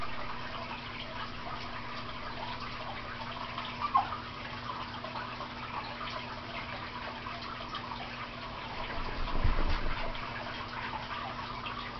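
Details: Quiet indoor hum with a steady low drone, a brief click near four seconds and a soft rustle around nine to ten seconds; no animal voice.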